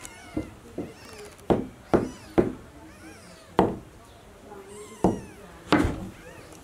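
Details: Domestic cat, a mother named Como, carrying her newborn kitten to the nest indoors; faint, thin mewing arcs come and go between loud, sharp knocks and taps recurring roughly every second.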